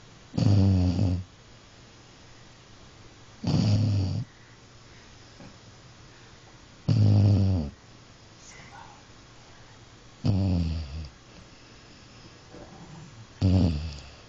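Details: Sleeping dog snoring heavily, deep rough rasping breaths lasting under a second, recurring about every three seconds with quiet pauses between.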